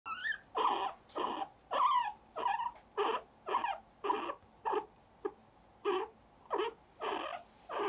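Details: A guinea pig held and having its cheeks gently pinched gives a steady run of short, breathy squeaks, a few opening with quick rising whistles; Guinea pig.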